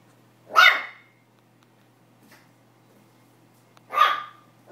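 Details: Pomeranian puppy, barking for the first time and super excited by a tennis ball, gives two loud high yaps roughly three seconds apart, quiet between them apart from a faint hum.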